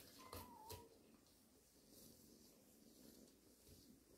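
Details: Cat from a family of cats resting in a warehouse: one short meow sliding downward in pitch, with a faint second note close behind, then quiet indoor room tone with light rustling.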